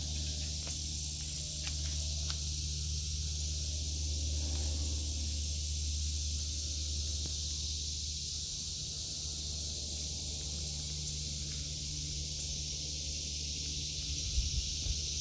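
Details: Cicadas in an August 2023 vegetable garden, a continuous high, hissing drone that holds steady without breaks or pulses, over a low, constant hum and faint rustling from someone walking through the plants.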